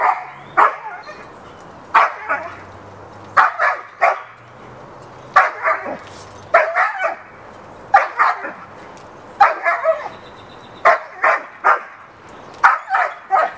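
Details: Backyard recording of Hera, a dog trying to draw the attention of the neighbor's dog to play; repeated short barks, often doubled or tripled, roughly forty a minute at an uneven pace, with low outdoor hum beneath.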